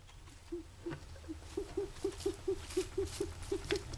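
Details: A guinea pig makes a repeated strange morning noise, a quick series of short, low, wheezy puffs repeated steadily. The owner is unsure what causes it.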